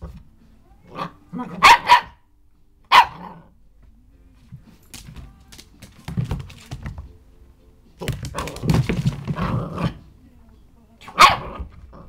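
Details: Elsie the dog, tucked under an office chair, gives a few scattered barks, including a quick double bark early on, between quieter rustling and thumping sounds.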